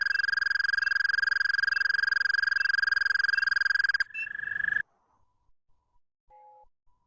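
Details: An Eastern American toad (Anaxyrus americanus americanus) gives a long, steady, high musical trill of rapid pulses on one pitch, a call sometimes confused with crickets.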